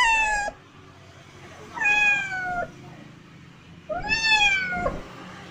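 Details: Kitten meowing three times, each call a rising-then-falling tonal meow about half a second to nearly a second long, spaced roughly two seconds apart, with quiet room hum between calls.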